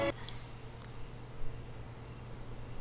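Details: A loud cricket chirps steadily in the quiet desert ghost town of Jerome, Arizona, with high thin pulses repeating about three times a second over a low hum.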